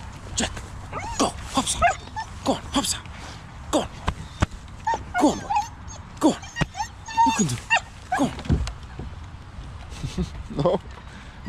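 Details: Border Collie named Jet, out skating and swimming, being urged to hop on and refusing; excited high whimpers, yips and short whining yelps come in quick bursts over several seconds, mixed with a man's repeated encouraging commands.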